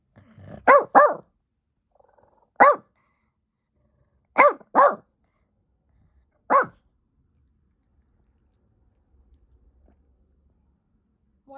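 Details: Domestic dog barking at nothing, iPhone recording from April 2023: six sharp barks, some in quick pairs and some single, spread over about seven seconds, followed by quiet with faint low rumbling.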